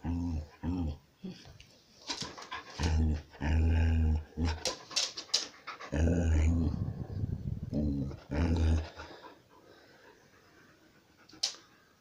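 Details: A Samoyed "talking" with drawn-out, moaning and groaning yowls that bend up and down in pitch, several long bursts over about nine seconds, then near silence with one faint click.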